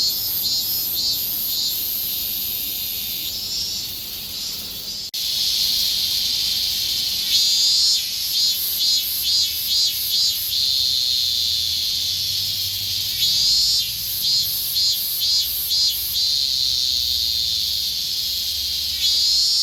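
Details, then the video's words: Japanese summer chorus of higurashi cicadas: a quieter high drone, then loud rapid pulsed phrases repeating in quick succession, with several overlapping singers. "Sounds Of Cicada! The sounds of summer in Japan ひぐらしの鳴く声 (セミ)"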